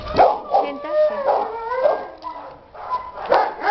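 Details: Boxer named Chuck, born 2011, a playful shelter dog in care for about two years, gives drawn-out, wavering howling whines in bursts, rising and falling, with short yelping notes between them.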